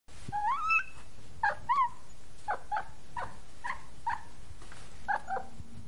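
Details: Two cats in Jakarta eating dinner without sharing: a long wavering rising mew opens, then about a dozen short, clipped, harmonic mews follow in quick, irregular succession over a low background hum.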